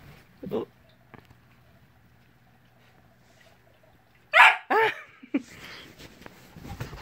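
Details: Siberian Husky, a husky-wolf cross born April 2017, indoors at 5:30am; after quiet room hum, a pair of loud brief yelping cries with bending pitch, then a shorter yip and some low rustling.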